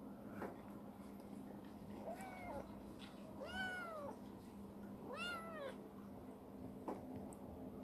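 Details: Chibikuro, a rescued former stray black female cat living in a warehouse, now grown affectionate, gives three drawn-out rising-and-falling meows spaced about one and a half seconds apart over a steady low indoor hum.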